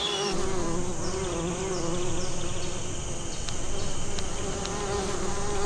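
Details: Western bumblebee pollinating an American basswood tree, its loud, deep buzzing drone pulsing slightly in volume. Thin high chirps sound faintly in the background.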